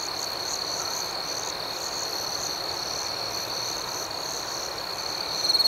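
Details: Night crickets keep up an unbroken high ringing note layered with quick pulsed chirps, steady in volume, ending with a slight swell of sound.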